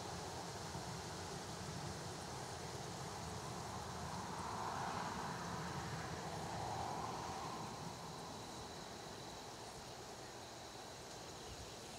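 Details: A continuous low roar of vehicles or rail traffic fills the whole stretch, swelling slightly in the middle. No bird calls or drumming rise clearly above the noise.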